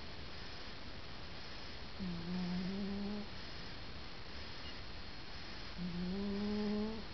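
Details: Stan, a grey cat, asleep and snoring: two long, low droning breaths with a steady hum, each lasting over a second, separated by several seconds of quiet room hiss.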